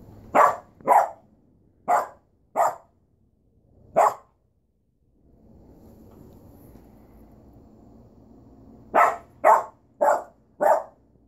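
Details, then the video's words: Barking from Duchess the dog: five loud, spaced barks, a quiet stretch of faint room noise, then four rapid barks at the end, each bark a brief harsh burst. "Duchess barking"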